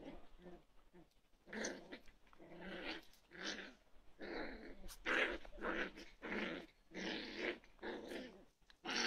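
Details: Toy poodle growls in rough, breathy bursts about every second, each a harsh rumble rising and falling, recorded indoors in a small room.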